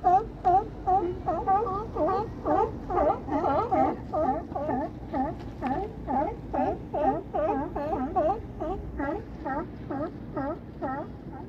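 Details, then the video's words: California sea lions at Crescent City harbor, with Battery Point lighthouse in the distance, bark in a rapid, steady series of hoarse, honking calls, several each second, overlapping from more than one animal throughout. "California Sea Lions at Cresent City harbor"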